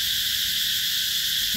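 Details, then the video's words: Mekong Delta cicada chorus, Mỹ Luôn eco-tourism area, summer 2021: a wall of continuous high-pitched whirring at even loudness, with a brief low sound breaking in at the very end. "tiếng ve gọi hè"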